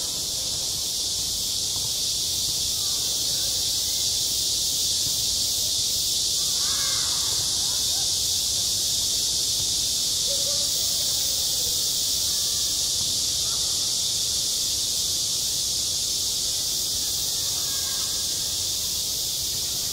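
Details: Cicada singing in midsummer on a school playground: a dense, unbroken high-pitched hiss-like buzz held steadily throughout, with a few faint, soft chirps lower down near 7 and 10 seconds.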